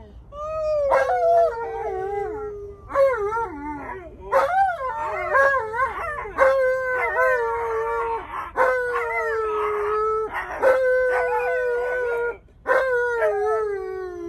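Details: Stubborn male Alaskan Malamute arguing back when told to sit and wear his seatbelt. Gives a series of drawn-out, downward-sliding moaning howls about every one and a half to two seconds, some wavering, with brief noisy breaks between them.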